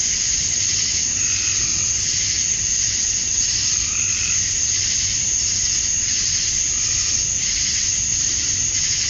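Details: Male cicadas chirping to attract females at summer dusk in Georgia, USA: a dense, steady high-pitched hiss of many insects without pause, with softer pulsing chirps from other callers mixed beneath.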